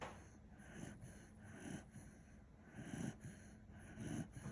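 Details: Kishu dog named Kinchan, sleeping soundly indoors and snoring: soft, breathy low rumbles swelling and fading in a steady rhythm, about one snore every second, with faint room hiss behind.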